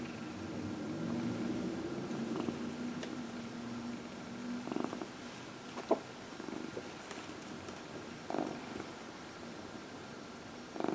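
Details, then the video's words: Cat purring while massaged in a home with four cats; a low rumbling purr runs for about five seconds and then fades, followed by scattered soft clicks and rustling handling noises. "Four Purring Cats — Cat Massage"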